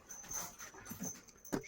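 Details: Kangal dog on a livestock farm, with brief faint whimpering and yipping bursts near the end and soft panting between them, amid handling noise.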